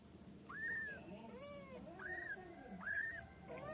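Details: Female white pet kitten making drawn-out, high meows that rise and level off, about three in under four seconds. Softer, lower wavering cries fall between them, over a steady low hum.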